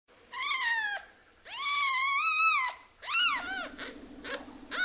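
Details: Orphaned baby kitten, one of two that lost their mother, being hand-raised indoors; high, harmonic-rich crying meows, one short, one long wavering wail, then a rising-falling cry, with a low steady hum in the background.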